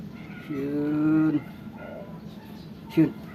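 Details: Domestic cats, a Persian and a Siamese, waiting for food: one level, tonal meow about a second long, then quiet room noise and a short, sharp, higher sound near the end.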